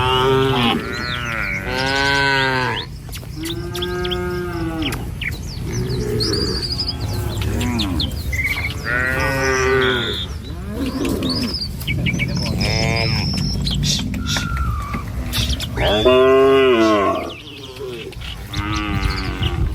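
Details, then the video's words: Village herd of tame cattle on its morning walk to a feeding field; overlapping moos that arch up then fall, coming every second or two through most of the stretch, with scattered bird chirps above and a steady low rumble. "Video Mengiring Suara Sapi Mouu"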